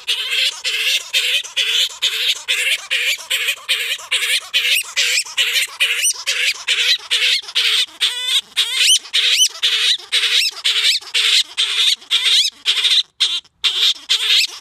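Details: Gelert, a male grey-headed flying-fox kept in care, sings to court Diva, another grey-headed flying-fox, after scent-marking his blanket-lined nook. Harsh, buzzy squawking pulses repeat steadily about twice a second, continuous and loud throughout.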